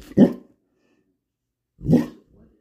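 A Great Dane gives two deep, booming barks about a second and a half apart.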